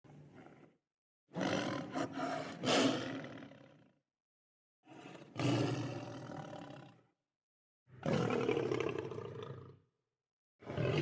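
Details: Lion roaring in four separate bursts, each a deep, rough, harmonic-rich blast lasting about two to three seconds and split by clean silences, the first burst broken into several pulses.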